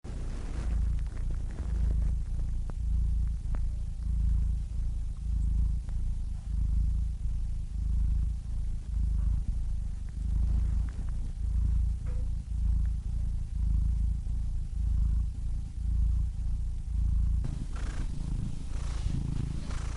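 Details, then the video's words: Domestic cat purring steadily, a continuous low rumbling throb with soft pulsing texture and no other clear sounds, a faint breathy rustle toward the end. "Cats Purring Soothing Sound Effects (Relaxing Cat Sounds)"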